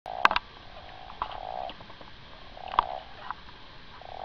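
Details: A common toad gives soft, low croaking bursts, each a quick run of pulses with pauses between, in winter 2014 on the Gargano, Italy.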